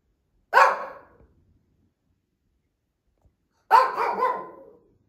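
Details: Older female Shih Tzu barking indoors, apparently demanding treats: two sharp, clear barks about three seconds apart, the second slightly longer with a trailing tail, in otherwise near-silence.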